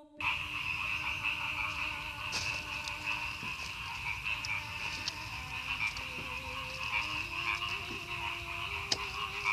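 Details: Chorus of frogs calling from village rice fields on the northern outskirts of Madiun, Indonesia, recorded after a night of very heavy rain and strong wind; dense continuous croaking with a steady high trilling band and scattered low tonal notes.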